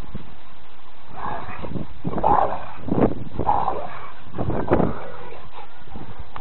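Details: Two rescued Rottweilers, Pharoah and Berni, re-homed from Fife Rottweiler Rescue, playing in a garden; a series of short, deep gruff barks and play growls come in bursts around the second to fifth seconds, with faint background noise.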